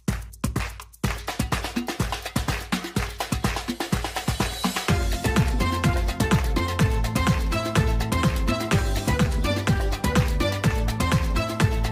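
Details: Loud electronic dance music with a steady thumping beat plays throughout, with no animal sound heard.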